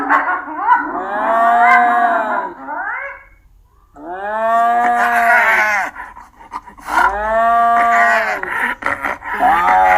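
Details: Long, arched, moaning calls from a hyena, each lasting about two to three seconds and rising then falling in pitch, three in sequence with brief gaps, the final one breaking into shorter wavering notes.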